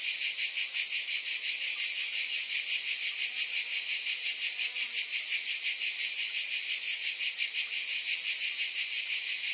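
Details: Cicadas keep up a piercing, continuous buzz that wavers in quick regular throbs, just under three a second, over a quiet background.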